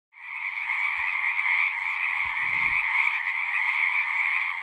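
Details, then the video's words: Frogs singing in a dense natural chorus, a steady trilling band of overlapping calls with a brief low thump near the middle. "One hour of singing frogs."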